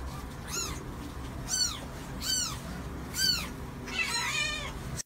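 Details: Mother cat with her kittens: five clear high mews, each a short rising-then-falling arch about a second apart, the last one rougher and longer, over a soft low background hum.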